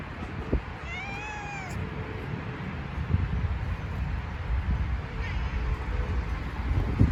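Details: Cat protecting a chicken farm gives one clear, drawn-out meow that rises and then falls, lasting under a second, over a steady low rumble of background noise.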